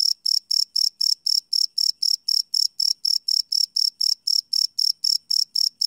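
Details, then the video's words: Crickets chirping at night, recorded live without loops on a Sony PCM D100: a high, ringing pulsed chirp repeating evenly about four times a second, clean and uninterrupted. "Cricket Chirp Sound - Cricket Sounds at Night"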